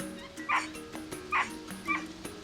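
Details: Female capuchin monkey, one of a troop, calling urgently after spotting a snake on the ground to warn the others of the predator: three sharp, squeaky chirps spaced about half a second to a second apart over steady background music.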